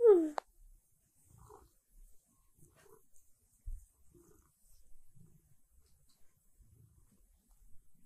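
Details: Siberia, a silver tabby cat, asks for breakfast and petting during her morning routine indoors: one loud, brief meow that slides downward at the start, then quiet room sounds and faint low rustles.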